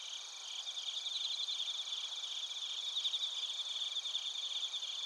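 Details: Insect chorus of bell crickets and field crickets at Narita in Chiba, Japan, captured on a TASCAM Portacapture X8; overlapping high trills with quick pulsing chirps swelling slightly, above sustained high-pitched buzzing bands.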